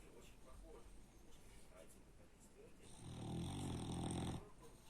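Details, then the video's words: Very loud snoring from a sleeping French Bulldog. After a few quiet seconds comes a single harsh, vibrating snore lasting about one and a half seconds. "Французский бульдог Бакс очень сильно храпит"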